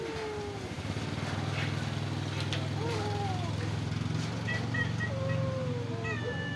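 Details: Stray cats living at a pagoda, fed rice and fish, give several drawn-out meows, some falling in pitch and some short and high, over a steady low engine-like hum and faint voices.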